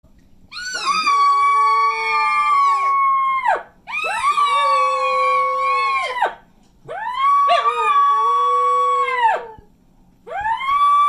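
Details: A small dog gives long, drawn-out howls, each holding a steady tone before sliding down at the end. It joined in and howled while people were practising elk calling.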